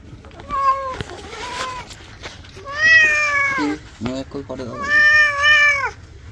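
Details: Domestic cat being bathed, giving long harmonic meows near 600 to 3000 range, about three drawn-out wails with shorter cries between, some falling at the end, over a soft background hum and brief human voice.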